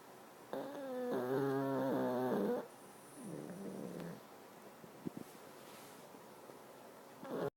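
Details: Sleeping pugs, Sniffles and Bruce, snore indoors: a loud whistling nasal snore of about two seconds, a weaker wobbling follow-up, then faint clicks and a brief new snore beginning.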